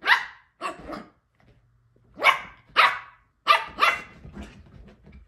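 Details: Yorkie puppy Elle at play on the couch alongside her Shorkie sister Rissa: two high yaps, a pause, then a quick run of four excited barks trailing into soft huffs and rustling.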